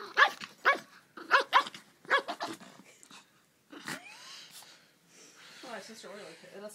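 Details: Pet dog at play with family, wagging its tail, recorded on an iPhone; a run of short sharp barks in pairs over the first two and a half seconds, followed by a rising whine and human voices.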